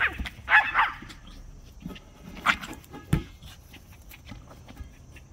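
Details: A female Yorkshire Terrier named Rylie plays ball, excited and happy. A burst of short, high, sharp barks comes near the start, followed by a few softer yips and snuffly sounds over a low background hum.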